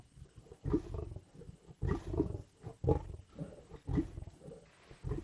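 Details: Lions growling and snarling at a carcass in Indian bush: deep, rough, throaty bursts roughly once a second, each swelling then breaking off, with short gaps of quiet between.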